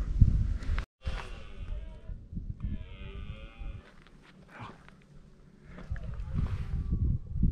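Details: Near the Grotte de la Fumada at Col de Vence, France, a red deer stag (Cervus elaphus) gives deep, drawn-out rutting bellows close by, while people talk quietly nearby.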